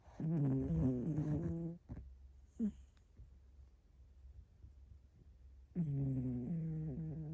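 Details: Heavy 6.5 kg hairless Sphynx cat snoring. Two long, throaty, rattling snores with rich layered tones come at the start and end, separated by a quieter low rumbling breath.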